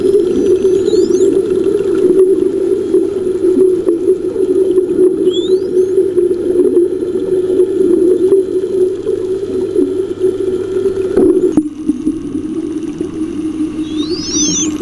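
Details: A superpod of spotted dolphins, bubble-net hunting a huge baitball of lanternfish offshore in the Osa pelagic waters of Costa Rica, gives thin, high whistles sweeping up and down over a steady underwater rumble.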